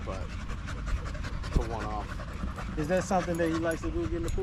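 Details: Male Staffordshire Bull Terrier 'chatting' with other male dogs at the park in the evening: a rising, wobbling whine near the start, then several short, undulating moaning notes in quick succession over panting and outdoor hum.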